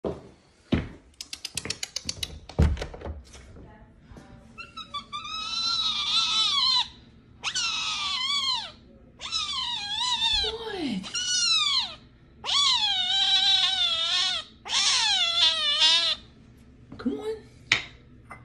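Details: Female F1 Savannah kitten indoors, calling in a series of high, squeaky, wavering meows, each about a second long, repeated with short pauses, after some tapping and clicking noises at the start.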